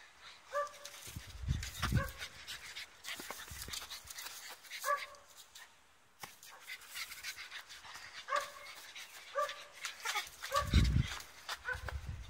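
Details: Playing blue French Bulldog letting out about six short, high, yappy barks at irregular intervals, with occasional deep thuds and rustling between them.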